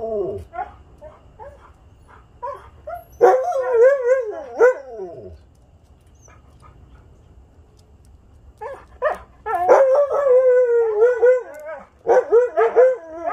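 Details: Huskies Haven, Sam and Storm with a visiting dog friend on a Sunday: short yips and barks lead into wavering, quavering howls, a pause, then more barking breaking into warbled howling from several dogs.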